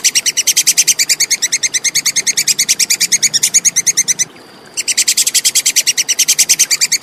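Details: Plantain squirrel chattering in a clean recording meant for training songbirds: fast, evenly spaced sharp high 'kek' pulses, roughly six each second, with a brief gap shortly before the end and then resuming.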